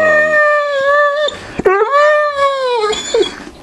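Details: Neapolitan Mastiff female begging indoors for a newly emptied peanut butter jar, January 2015: two long, drawn-out howling whines, each steady then dropping off, separated by a brief catch of breath.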